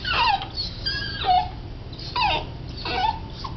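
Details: Cardigan Welsh corgi on its first morning in a new home gives repeated high whining cries that fall in pitch, about four whimpers spaced roughly a second apart, with a low hum underneath.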